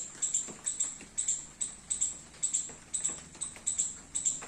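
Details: Garden squirrel out in the rain, eating baby coconuts, utters shrill chip notes about twice per second, some doubled, over light clicking and dripping sounds.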